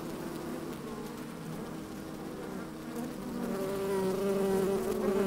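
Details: Honey bees busy in an opened hive on a fine sunny day, mic slid inside: a low even hum that swells louder and rises into a clearer buzzing tone over the last two seconds.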